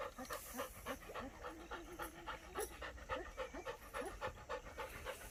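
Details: German Shepherd puppy named Dollar, curious in an unfamiliar outdoor setting where it sees a buffalo for the first time; steady, rapid breathy panting at about three to four pants per second, with faint voices in the background.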